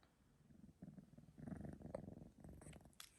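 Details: A male three-month-old Sphynx cat purring after a nap, recorded indoors on a phone: a soft, low rumbling purr in uneven pulses, growing louder midway, with faint clicks near the end.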